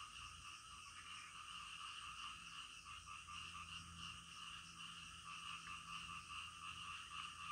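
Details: Midnight frog chorus: layered high trilling calls form a continuous drone, with rapid faint pulses nearly four per second and a slight swell in loudness toward the end.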